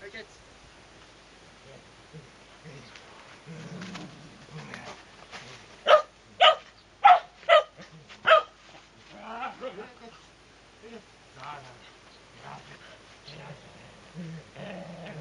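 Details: Sora, a Shetland Sheepdog whose attention is on treats in a pocket, gives five sharp, loud barks in quick succession midway through. Quiet human speech is heard before and after.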